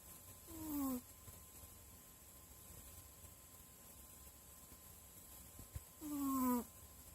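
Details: Sleeping dog snoring: two short whiny, tonal snores about five seconds apart, each slightly falling in pitch, with quiet steady background between breaths.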